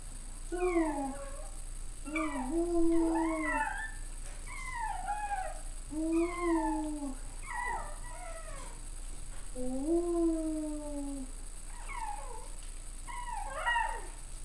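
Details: Chihuahua giving a string of short, wavering yowls and whimpering howls indoors, each rising then falling in pitch, delivered in quick irregular bursts over the whole stretch.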